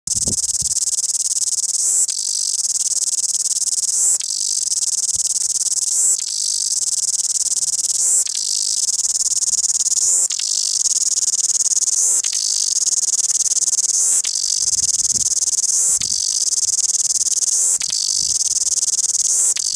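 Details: Loud cicada singing in Wellington: an intense, high, hissing buzz that runs without pause, with brief shifts or dips in tone about every two seconds. A few faint low thumps appear at the start.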